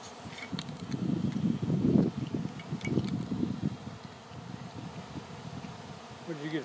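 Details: Honey bees swarming, the air full of them before they cluster on a branch for relocation; a dense low hum of many wings swells over the first four seconds, then thins, with a brief human voice near the end.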